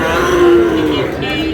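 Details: Sahiwal cattle, bull calves at a cattle market in Bangladesh on a Monday, 16 February; a single sustained low moo with a steady tone, market noise behind.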